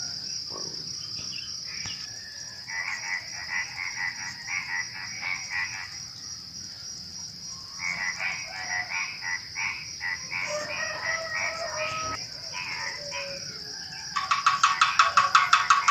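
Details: Night chorus before dawn with frogs among other small creatures such as crickets: bursts of rapid croaks in clustered runs, pausing between groups, over a constant shrill insect drone; a louder pulsed rattling insect joins near the end.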